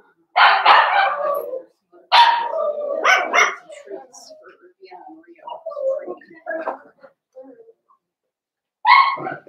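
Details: Litter of five blenheim Cavalier King Charles Spaniel puppies, born at New Year, yapping indoors: loud, high, rapid barks in bursts, a quieter stretch of mixed murmuring sounds, then another sharp yap.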